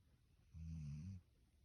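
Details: Standard Poodle sleeping soundly in bed, giving one low, rumbling snore of about two-thirds of a second, steady and buzzy, with quiet room stillness before and after.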